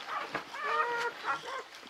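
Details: Newborn Czechoslovakian Wolfdog puppy from Orizon and Rahan's all-female litter of five, born 21 November 2020 at a breeding kennel; squeaky harmonic cries, a short one then a longer wavering squeal near its middle, followed by two brief yelps.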